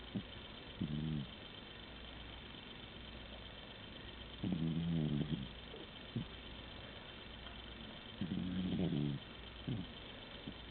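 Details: Pet cat Tigger snoozing indoors and snoring his heart out, with low buzzy snores lasting under a second each, returning roughly every four seconds, separated by brief soft snorts and a constant quiet background hum.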